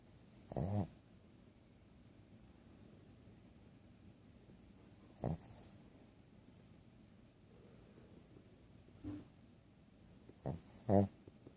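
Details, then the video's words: Two-year-old female Shih Tzu snoring while asleep; she had surgery to open her nostrils, yet the snoring persists. Short rasping snorts at about 0.7, 5.3, 9.1 and 10.5–11 seconds, with quiet room hiss between them. "My snoring dog"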